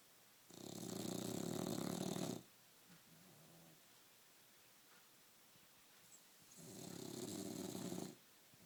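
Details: English Bulldog (Canis lupus familiaris), snoring.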